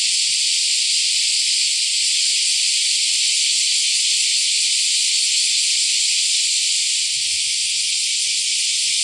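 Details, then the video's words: Semi-shigure, the year's first cicada chorus, in Akashi, Japan, near the Akashi River, on July 13, 2025: an unbroken, shrill, hissing wall of buzzing that stays level throughout, with a faint low rumble near the end. "初セミ時雨2025明石 今年初めての蝉の鳴き声"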